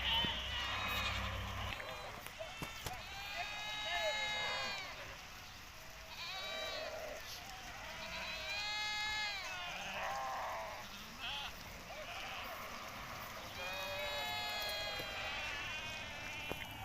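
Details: Hisori sheep, a popular ram breed of Tajikistan, recorded 20 May 2023 on a trip to summer pasture; several harmonic, wavering bleats rise and fall around 3-4, 9 and 14-16 seconds, with a constant high hiss behind.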